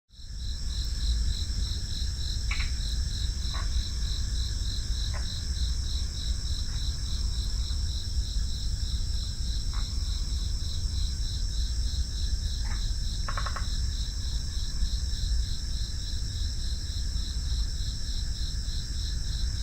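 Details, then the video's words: Crickets in a steady chorus of high, rapidly pulsed trilling that runs without pause, stacked in several shrill bands. Brief mid-pitched ticks and chirps break in now and then over a constant low rumble. "FREE SOUND EFFECTS: Crickets"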